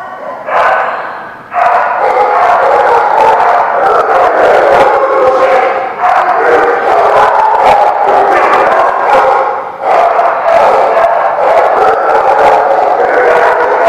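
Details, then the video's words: Many dogs barking at once in a dense, overlapping chorus, sharp loud barks following one another without pause, with a brief lull near the start and another around the tenth second. "The Barking Lot"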